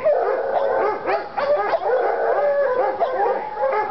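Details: Lady and Cooper, Treeing Walker Coonhounds in North Carolina, fired up on a coon skin, howl and bawl together in a dense, continuous chorus of bending, ringing voices with choppy yelps mixed in.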